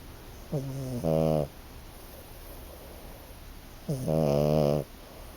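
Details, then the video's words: A five-month-old male French Bulldog puppy snores in deep, rattling buzzes, two breaths a few seconds apart. "Omar the French Bulldog, snoring"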